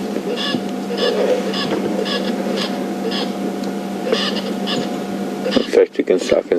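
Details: At Buffelshoek Dam a squirrel on a dead tree gives its alarm with tail flicks, a squeaky-toy sound; clusters of sharp chattering notes recur roughly every half second over constant vehicle drone, ending in a few louder knocks.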